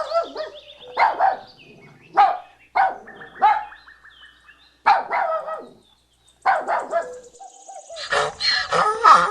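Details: Puppy yipping in short, high bursts, repeated several times with brief pauses, ending in a run of rapid squeaky yelps.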